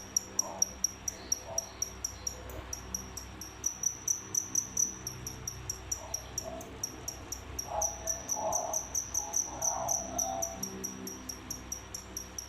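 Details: Indoor captive cricket pair, originally feeder insects, producing high, sharp chirps in quick succession that grow denser toward the end, alongside soft, low whimpering noises in the middle.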